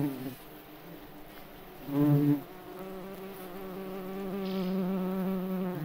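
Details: A May bug (cockchafer) in a forest gives a low, droning wing buzz, rich in harmonics, swelling briefly louder before settling.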